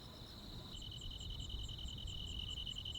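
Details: Crickets and other insects on a countryside summer night: a steady high insect hum, joined after the first moment by a shrill pulsed trill of about three to four beats a second, over a low rumbling background.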